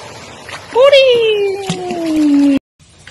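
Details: A dog from a compilation of funny dog videos gives one long howl that jumps up sharply, then slides slowly downward in a smooth, tuneful tone for nearly two seconds before breaking off suddenly, with a quiet room murmur behind it.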